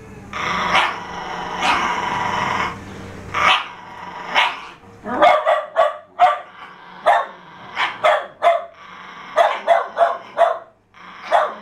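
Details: Jack Russell Terriers struggling over a fallow deer's leg: a long drawn growl-whine at first, then a burst of sharp, high yapping barks in uneven clusters, with short pauses between.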